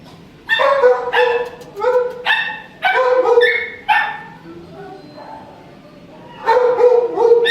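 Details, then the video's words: A shelter dog with mange barks in a run of sharp, harmonic-rich barks and yips, several in quick succession, then a pause and another burst; a woman speaks softly nearby. "Early networking mange dog"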